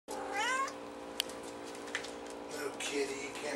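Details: A domestic cat with a white face gives one short, rising then falling meow indoors. A steady low mechanical hum continues underneath, with a few faint clicks.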